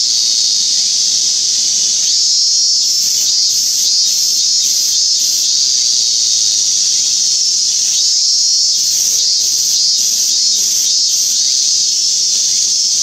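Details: Hyalessa maculaticollis, 17 August 2016: a high, unbroken insect drone with two phrases of quick pulsed notes, each phrase of about five beats, separated by a stretch of steady buzzing.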